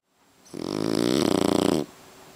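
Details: Boss, a French Bulldog napping under a kotatsu, gives one loud, rattling snore lasting over a second, a coarse vibrating rumble that swells and cuts off sharply indoors.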